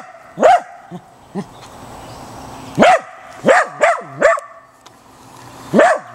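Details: A Corgi disturbed by a young gopher snake barks sharply: single loud barks, then a quick run of three, then another lone bark, each bark a short rising-falling yelp with bright harmonics.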